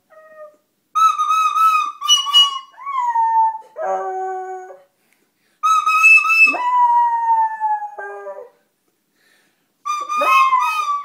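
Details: Pet dog howling at a flute it is said to hate: drawn-out, wavering howls with bright upper harmonics, some sliding downward, alternating with plain steady flute notes and brief pauses.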